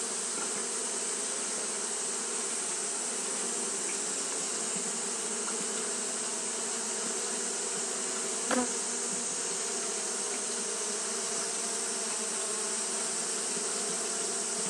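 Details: Continuous wing-fanning drone from Japanese honey bees on a hot day, a steady layered hum held throughout, broken only by one sharp click about two-thirds of the way through.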